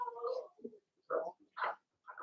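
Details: Six young Blenheim Cavalier King Charles Spaniel puppies, Remy's first litter, in a home puppy pen; a series of short grunting whines and yelps in uneven bursts, some rising, separated by brief pauses.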